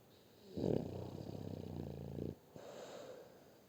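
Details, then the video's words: French Bulldog named Shturm snoring: one long, rough, buzzy inhaled snore lasting nearly two seconds, low and harmonically layered, then a softer breathy exhale in a quiet room. "Французский бульдог Штурм Храпит"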